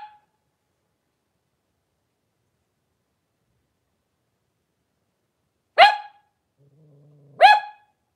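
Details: Blenheim Cavalier King Charles Spaniel litter of five with their mother Paris, indoor puppy pen, January 2023. Two loud, harsh single barks about a second and a half apart over near silence, with a faint low hum between them.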